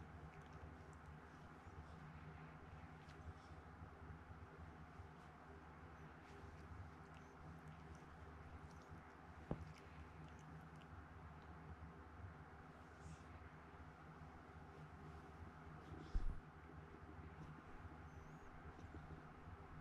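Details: Domestic cat named Chikuwa, rescued as a kitten with poor sight in one eye, purring at home: a steady low rumbling drone that runs throughout, with a few faint clicks and taps over it.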